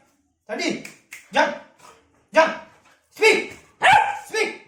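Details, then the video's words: Labrador puppy barking to ask for food, giving about five harsh, broadband barks spaced roughly a second apart, each short and rough with a quick fade. "Labrador puppy starts barking for food"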